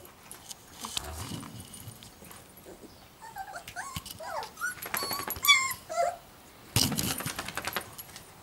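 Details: Giant schnauzer puppies from the Blackmoore O litter, heard indoors giving short high squeaky whimpers and yips, rising and falling in quick scattered bursts, with rustling and handling noises between.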